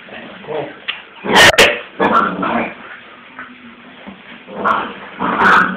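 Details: Transylvanian Hound puppies giving short yips, whimpers and small barks in irregular bursts, with a few sharp clattering knocks and some rustling.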